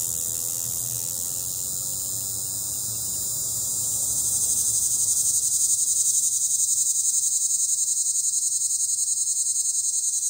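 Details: Periodical cicada Magicicada tredecassini perched on a window, its loud high-pitched pulsing buzz rising from a softer start to full strength midway, rapid regular throbs near four per second, a faint hum underneath.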